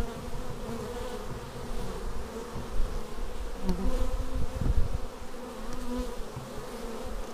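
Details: Bees arriving at a hive on Xiaomi Yi action camera footage: a rich low droning buzz, swelling and easing, with short rising and falling tones as single bees zip past the lens.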